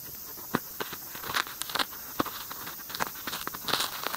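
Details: White-spotted longicorn beetles make dry, scratchy clicks and short rasps during mating.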